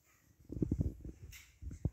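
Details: Siberian Husky named Maximus as a young puppy, giving a quick burst of five short, low, throaty whimpering pulses, a brief pause with a soft hiss, then one final grunting whimper.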